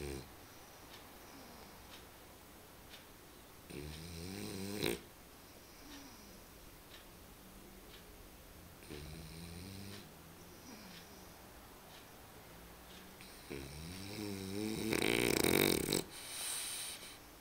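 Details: Römer the dog snoring in sleep indoors, drawn-out harmonic snores with wavering pitch roughly every five seconds, the last one louder and rougher.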